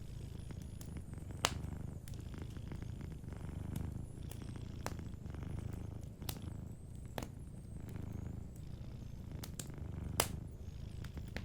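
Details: Sleeping cat purring softly beside a warm fireplace; a deep, rumbling purr swells and fades with each breath, while sharp crackles and pops from the fire break in every second or so.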